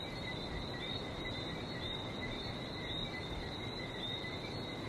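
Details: Frogs calling on a trip to Barbados near the sea: a steady dense chorus of high thin tones in two bands, one pitched above the other, over a constant broad hiss like surf.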